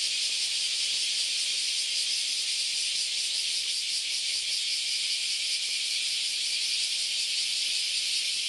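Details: Many cicadas calling together on a Sunday morning in August along the Philosophy Path in Kyoto, Japan: a dense, steady high-pitched hiss with faint rapid pulsing and no gaps.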